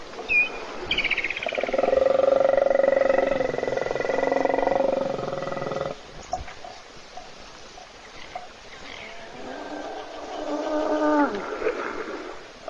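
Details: Hippopotamus snoring while asleep in a puddle at a waterhole, caught by an Africam webcam in South African reserves by Kruger National Park as other animals wait to drink: a long pulsed, buzzy, harmonic rumble for about four seconds, a pause, then a shorter pulsed call.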